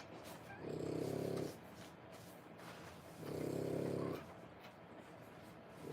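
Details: French Bulldog mother nursing her three-week-old puppies, born 1/10/25, zoning out from painful nursing: two low, rough snore-like breaths about three seconds apart, with quiet room noise between.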